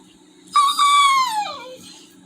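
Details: Toby, a Labrador Retriever upset at skipping his walk due to rain, lets out a loud, drawn-out high whimper that holds steady then droops in pitch over about a second, indoors with a faint hum in the background.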